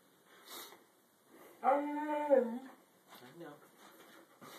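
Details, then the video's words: Female Siberian Husky indoors, vocally objecting because she wants to go back outside, during a happy dance: one drawn-out, harmonic, howl-like moan lasting about a second that dips at the end, with a person's speech before and after. "Funny Talking Siberian Husky Does Happy Dance"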